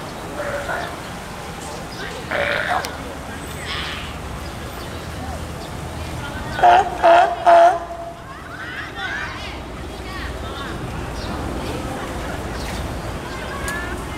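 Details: California sea lion at Tennoji Zoo, Osaka, on 5 July 2014 during nursing of a pup about two weeks old, giving three quick, harsh bleating calls over crowd murmur.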